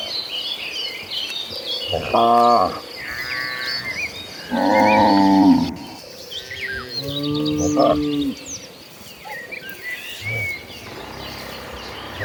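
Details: Hundreds of tame cattle walking toward the pasture low in deep, harmonic moos, several long calls overlapping, with faint birdsong behind.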